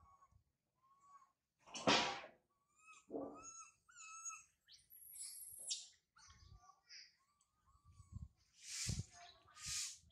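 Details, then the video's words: Up a tall tree after mother Sarah left her, infant monkey Sario wails: soft rising-falling whimpers, one rough harsh cry, then two loud high shrieks near the end. "Sario crying loudly a lot on the high tree after mother Sarah leave her"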